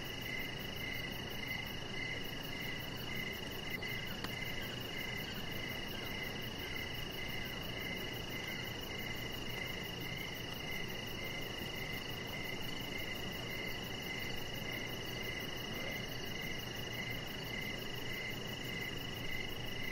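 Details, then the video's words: A long stretch of evening cricket song outdoors by a deck: a continuous train of short, high chirps spaced about half a second apart, with steady hiss and a faint low hum underneath. "Chihuahua Puppy Laying On Deck with Cricket Sounds"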